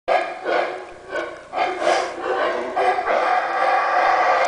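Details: Howler monkeys on a cave property in Belize give deep, hoarse barks in quick succession, barking at intruders.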